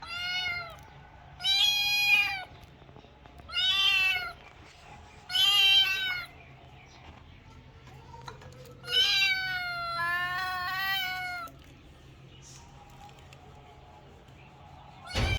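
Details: Kitten meowing loudly in bursts, four quick arched meows followed after a pause by a longer drawn-out wavering cry, then near silence apart from a steady low hum and a final click.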